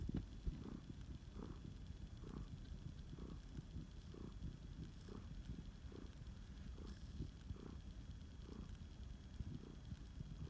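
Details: A rescued male flame point Siamese cat, Phoenix, purrs while snuggled: a strong low rumble pulsing in a clear regular rhythm, about two beats per second, with little else audible.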